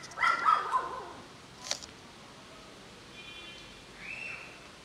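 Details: Cats gathering for food, some resident and some wandering strays, with a pregnant cat and kittens nursing; a loud wavering meow with several pitch bends opens, then a sharp click and a faint, softer rising call near the end.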